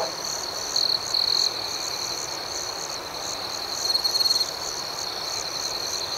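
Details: Crickets at night keep up an even, high ringing trill with rhythmic chirps roughly four each second; a nearby cricket adds two brief loud trills early and another burst midway.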